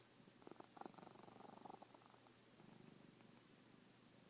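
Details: A sleeping pet cat snores softly, a quiet rapid pulsed rattle that swells and fades across a few breaths, with low room hum beneath.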